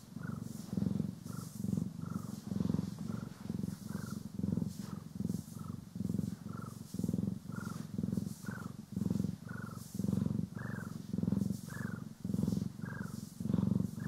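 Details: While being brushed and groomed, pet cats Poki and Kiwi keep up a strong, low purr in rapid breath pulses under a second apart, each with a faint higher chirp-like overtone, and gentle brushing noise throughout, in stereo.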